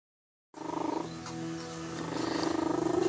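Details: A pet cat named David, or Davy, does his excited purr-sneeze while very happy. After half a second of silence comes a steady, rapid, pulsing purr with a rich, buzzy, harmonic tone that swells louder toward the end.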